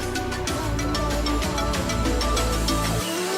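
Music plays over a low vehicle rumble, with no animal voices.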